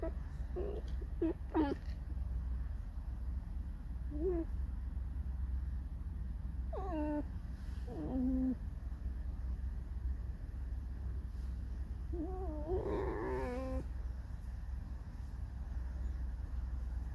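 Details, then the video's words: Pet red fox indoors, creaking and singing a mournful song; scattered short, drawn-out whining cries with falling pitch, separated by pauses, over a steady low hum. "Алиса лиса . Скрипит, поет заунывную песню"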